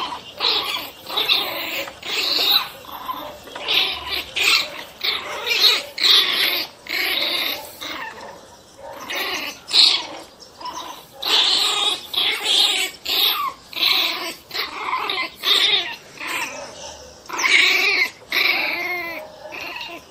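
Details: Agitated Pinscher dog producing a fast, uneven run of raspy growl-barks, bursts packed closely together with brief pauses, loud and bright, lasting about twenty seconds.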